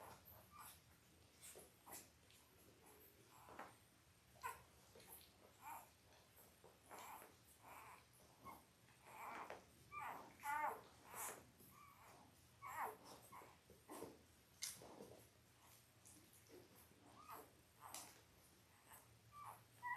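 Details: A litter of eight Labrador Retriever puppies, five days old, born October 15, 2023, to their mother Belle, filmed indoors on a live puppy cam: frequent short high squeaks and faint whimpers mixed with rustling bedding and small movements.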